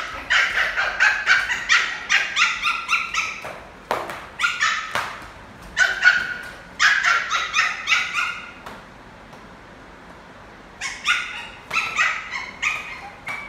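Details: A playful male Lhasa Apso puppy, playing football and inviting people to play, gives rapid bursts of high, sharp yapping barks with brief quiet pauses.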